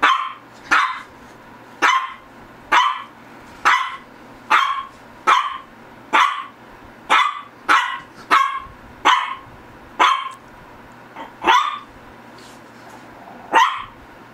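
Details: Persistent barking from a Shih Tzu: loud, sharp barks repeated roughly every three quarters of a second, about sixteen in all, with a brief pause before the last few, over a faint low hum.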